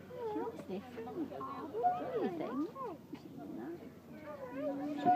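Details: Pileated gibbons at Blackpool Zoo in June 2013 give a run of tonal hooting notes rising and falling in quick arcs, several voices overlapping, with human conversation beneath throughout.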